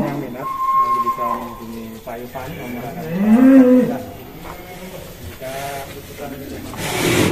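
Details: Si Plonco, a huge 'monster' cow, coming out of its pen at Kelonthong Farm in Indonesia, gives a low, drawn-out moo that swells and falls near the middle, with faint voices and a steady whistling tone in the background.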